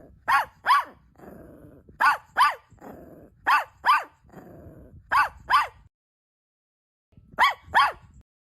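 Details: Barking of a pet dog where a mother dog nurses newborn puppies: sharp double barks repeated about every one and a half seconds, with soft growling rumbles in the gaps and a silent stretch before the final pair.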